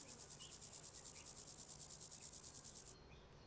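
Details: Grasshopper chirping, with a sound made by a comb of teeth on the hind leg rubbed against a ridge on the wing. A very high, steady train of rapid, evenly spaced pulses stops abruptly near the end.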